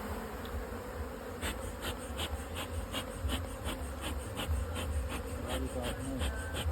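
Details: Humming of honey bees in a beekeeping setup with a modern two-storey hive, a low continuous drone punctuated by regular soft clicks roughly every half second.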